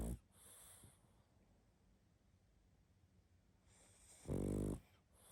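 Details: Pug asleep and snoring hard in a quiet room: a brief snore at the start, then a long hush of soft breathing before one loud, harsh, rattling snore near the end.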